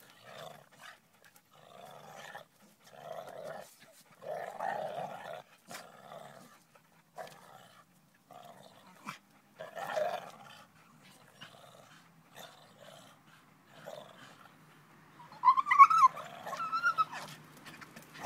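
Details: A Staffordshire Bull Terrier playing on a springpole growls in low, rough bursts, with a sharper, higher outburst near the end.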